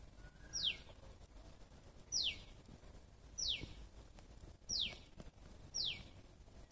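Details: Squirrel calling: sharp, high whistled notes that slide steeply downward, five of them spaced unevenly over about seven seconds, over a soft, steady background hiss.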